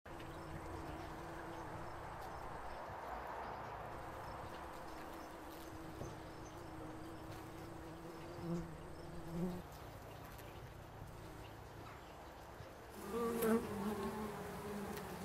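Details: Bumblebees foraging around foxgloves in an English country garden make a low, steady buzz throughout, swelling louder near the end as a bee comes close; bumblebee.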